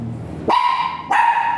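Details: Two sharp, tonal barks about half a second apart from a dog at Mapandan Vet Clinic, brought for a shooter mating service with a virgin dam and sire; faint room noise before the first bark.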